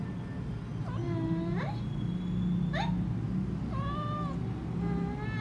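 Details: Kittens meowing: several short, high, thin mews, some rising sharply and one drawn-out whine, overlapping over a steady low hum in the background.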